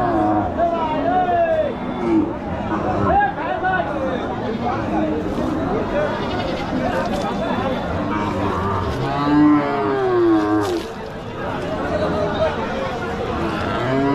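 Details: Cattle at a popular village cattle market giving drawn-out moos, some wavering and rising, mixed with human voices, crowd babble and general market bustle throughout.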